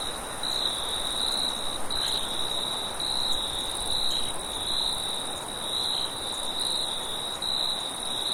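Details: At night, crickets chirp in a steady, high-pitched chorus over a soft rush of wind.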